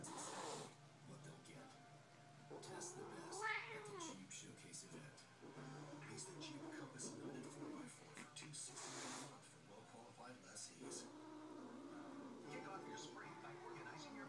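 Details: Two domestic cat cousins calling: drawn-out meows and caterwauls with arching, wavering pitch, one sweeping sharply upward near the third second, while people talk over much of the recording.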